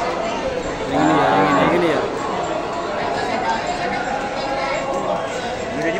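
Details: Cattle at a crowded East Java cattle market, breeding cows offered for sale; a single drawn-out, low moo with rich layered harmonics swells early on, then fades under steady chatter and traders' voices.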